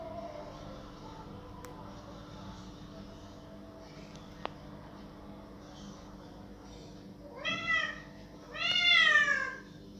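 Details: Domestic cat crying loudly to have a door opened: after a quiet stretch with faint background hum, two strong drawn-out meows arrive close together near the end, the second longer and louder, each rising then falling.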